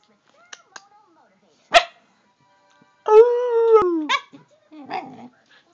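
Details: Female Siberian Husky answering her owner's talk with a sustained, level, moaning tone of about a second that droops at the end, among brief clicks, a thump and a short human voice.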